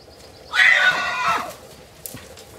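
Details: One loud neigh from Arizona wild horses, bachelor stallions challenging other stallions: a sudden harsh, quavering whinny lasting about a second, tapering and dropping in pitch, followed by a short click and quiet background.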